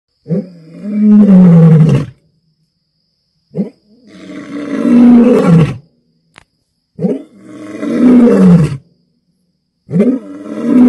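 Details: An African lion roars at night in long, deep, rasping bursts, each sliding downward, with short silences between.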